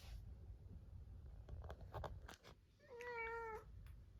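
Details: Munchkin cat Chabo, separated in another room the evening before neutering, gives one short meow after scattered clicks and knocking sounds over a noisy indoor background.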